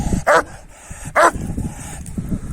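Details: Kangal males pursuing a female dog give two short, sharp barks roughly a second apart, over low background rumble and nearby talking.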